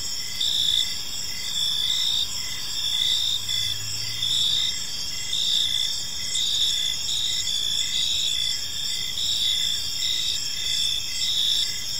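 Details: Park at evening filled with crickets, shrill continuous chirping layered with regular pulsed notes about once per second, a faint low hum briefly audible midway.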